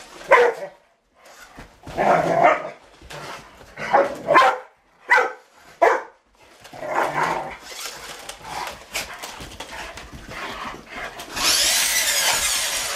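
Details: Rottweilers playing against a remote control truck let out a run of sharp, evenly spaced barks, then quieter yips, before a high, hissing motor whine takes over at the end.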